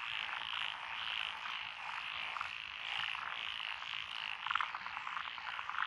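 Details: Frog chorus from lotus rice paddies along a country road in Echizen, Fukui Prefecture, Japan, recorded 12 June 2021; a dense steady wall of trilling calls with a few louder nearby croaks rising above it.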